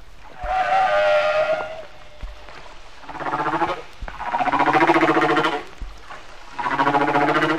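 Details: Hawaiian humpback whale song, differing from Bermuda songs but sharing their form, sung in shallower water so deep echoes are less apparent; moaning harmonic tones, several long rising and wavering units with short gaps, from a 1979 disc recording.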